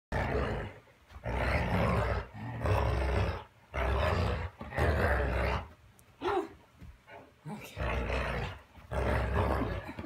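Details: A female Boerboel Mastiff, described as vicious and unusually vocal, gives deep, rough growls in roughly one-second bursts. Short gaps of near silence separate them, and the growls repeat about every second and a half.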